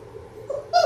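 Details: Six-week-old Labrador Retriever puppies from a litter of six born January 18, 2022, on a live puppy cam on February 28; a short tonal whine rises and brightens into a higher squeal at the end over a low steady hum.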